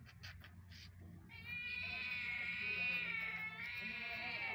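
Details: Mother cat with newborn kittens calling them; one long, drawn-out, slightly wavering meow after a few short faint sounds, with low rumbling background noise.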